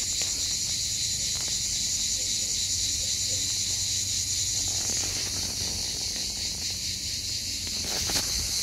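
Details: A Hellenic cicada sings on Skiathos, Greece, in summer, an insect said to sing almost all day long. Its high, hissing, unbroken buzz holds steady throughout, with a faint low rumble beneath.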